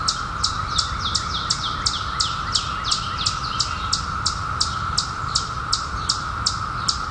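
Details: Periodical cicadas, surfaced in 2021 after a 17-year hiding, sustain a flat droning hum, with a bird repeating bright, high, descending chirps at an even pace of about two and a half per second.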